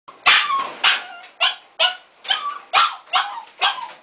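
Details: A Siberian Husky puppy in its cage, not liking it, gives its first howl: shrill, yelping cries repeated about twice a second.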